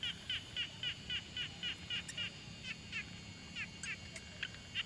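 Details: Quiet pond frog recorded on a Tascam Portacapture X6: a long, even series of short, raspy pulsed calls about four per second, somewhat softer, with occasional higher sharp notes and a faint low hum.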